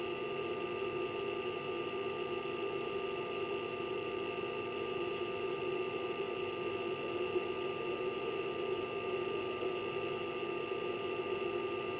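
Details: Steady indoor room hum with broadband mechanical noise throughout, like a fan or appliance, and no animal voice heard.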